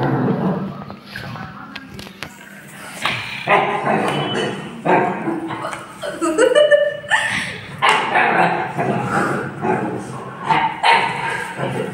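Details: Siberian Husky puppy playing with its mother: short, sharp barks and yips in irregular bursts, some with a rougher growling edge, growing louder and more frequent in the second half.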